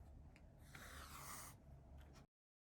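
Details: Kitten hissing at a crinkly toy with a wire string, one of two sister cats born 28 February 2020, Sheena and Mon, indoors; one breathy, broadband hiss lasting about a second, with soft rustling before and after.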